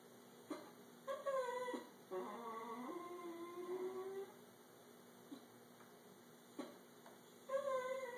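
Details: A 13-year-old male Italian Greyhound 'talks' to his owner while staring at him, in wavering, whiny moans rising and falling sing-song; he does this every morning and night.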